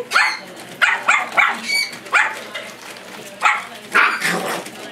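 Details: Chihuahua playing with puppies indoors, letting out short, sharp, high yappy barks in quick bursts, roughly eight over five seconds, some doubled, with a person's voice talking between them.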